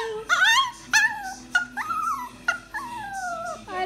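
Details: Chihuahua learning to talk answers "I love you" with short yelping whines, each rising then falling, about five in quick succession, a faint voice and music beneath.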